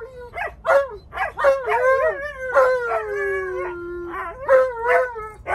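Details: Alaskan Malamute arguing and complaining about wearing his seatbelt: a run of short yelping syllables leading into one long falling howl, then more choppy barked moans.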